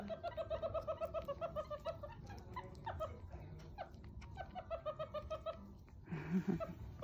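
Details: Young meerkat pup drinking milk for its first time in a home; quick, rhythmic pulsed squeaks in long runs, briefly slowing midway, ending with a short burst of louder handling noise.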